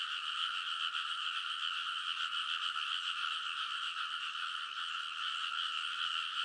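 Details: Frogs in full chorus on a rice paddy bank in Kōnosu, Saitama, Japan, late at night in early summer, recorded on a TASCAM Portacapture X8: dense, unbroken croaking with bright bands near the upper mid range, many callers overlapping into a steady wall of sound.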